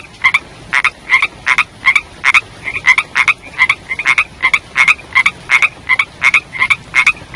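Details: Young frogs calling in the rainy season: rapid, regular croaks repeated nearly three times a second, each a short nasal burst with a bright ringing tone, continuing steadily through the recording against a quiet background.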